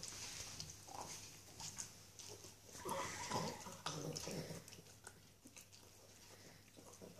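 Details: A little female Norwich Terrier enjoying a delicious bone indoors, giving soft snuffling grunts and chewing noises in uneven bursts, with a steady low hum underneath.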